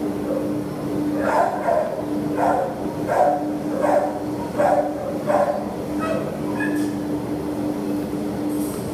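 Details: Adoptable terrier filmed 27 September 2015, barking in a steady run of six or seven harsh barks roughly every 0.7 seconds, then a brief higher squeak, with a continuous background hum.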